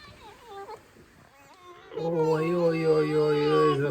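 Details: A pet fox in a kitchen, indoors, squeaking and complaining about life. It gives brief wavering squeaks, then a long, steady, loud whining note rich in overtones lasting about two seconds, with a woman speaking nearby.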